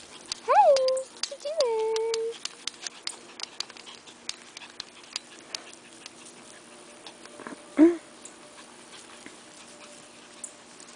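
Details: Havanese puppies outside: two loud whining yelps, each bending up then down in pitch, the first brief and the second drawn out, followed after a pause by one short yelp, with scattered rustling and light tapping throughout.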